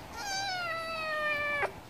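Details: Stray cat asking for wet food gives one long, clear meow, nearly steady in pitch with a slight fall, cut off sharply after about a second and a half.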